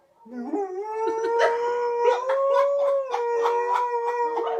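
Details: ['A white German Shepherd answers a dog howling on TV with one sustained, steady howl that rises slightly and then holds level, with layered harmonics and faint pulsing bursts in the background.']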